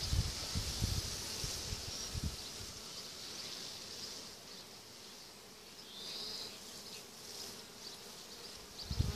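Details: Honey bee swarm clustered on an apple tree in June 2017: a continuous, even droning hum with slight swells in loudness and soft low thuds at the start and end.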